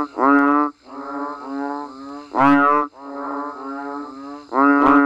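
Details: During rain in a natural setting, banded bullfrogs and frogs give deep nasal calls: three loud, abrupt groans about two seconds apart, with quieter droning calls from other frogs between them.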